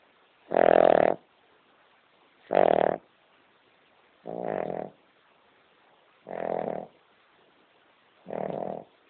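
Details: Female King Charles Spaniel, a pet dog, snoring while sound asleep; five harsh rasping snores about two seconds apart, the first two loudest, later ones softer.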